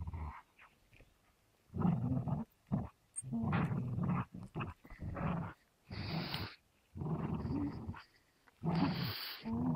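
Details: An American Staffordshire Terrier named Gerundio and a Beagle named Baloo in a tug standoff over a fabric toy, teeth clamped on. Deep, rumbling growls come in bursts of one to two seconds, separated by short pauses.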